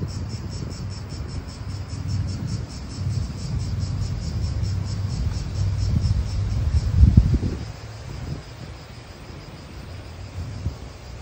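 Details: Cicadas in an Italian park, a pulsing high buzz that throbs about four times a second through the whole stretch, set against heavy low wind rumble that swells in gusts near the middle.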